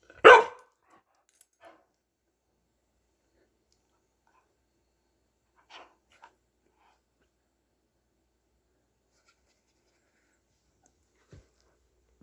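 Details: Pet dog indoors, getting vocal while playing: one sharp, loud bark at the start, followed by a few faint soft sounds and long stretches of quiet in a small room.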